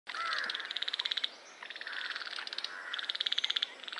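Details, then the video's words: Common river frog calling, recorded with a Zoom H1: rapid trains of clicking pulses lasting about a second each, repeated with short gaps, over a steady background hiss. "Common River Frog calls"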